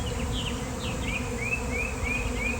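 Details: Bees swarming outdoors and landing all over the ground on a fine day: a dense droning buzz fills the recording, while a bird gives a run of five quick rising chirps in the background.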